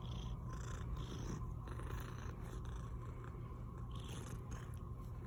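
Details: Pet cat Milli purring in an even, low-pitched rumble, with light rustling and small clicks over the steady vibration.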